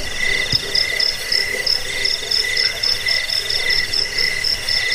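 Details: Cricket chirping, a recording used to drive away rats, lull listeners to sleep and train songbirds; several high, steady pulsed tones layered together, with softer rhythmic chirps running underneath and no other sounds.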